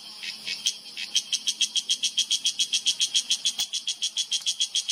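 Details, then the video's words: Cicada calling in a Himalayan oak forest sanctuary in Uttarakhand, India, September 2023: loud, harsh buzzy pulses repeated about four times a second, steady and evenly spaced for the whole stretch, with a faint low hum beneath. "Cicada in yellow: not so perfect camouflage for loud insect whose call reverberates in mountains"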